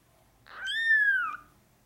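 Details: Male Norwegian Forest Cat kitten, brown (black) classic tabby and white, born 8 March 2020 and recorded five days later at a cattery, gives one clear, high, tonal mew that rises slightly then slowly falls, lasting under a second, in a quiet room.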